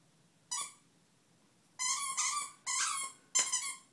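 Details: A Pomeranian dog indoors playing with a birdhouse gives high, harmonic whining yelps: one short cry, then three longer strained whines in quick succession, with a quiet room otherwise.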